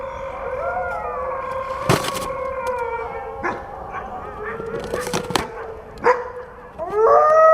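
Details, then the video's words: Several overlapping wolf howls at a distance, wavering and sliding tones layered together, broken by sharp clicks and knocks, ending with a louder rising howl close by. "WOLF SOUNDS! What is the sound of wolf?"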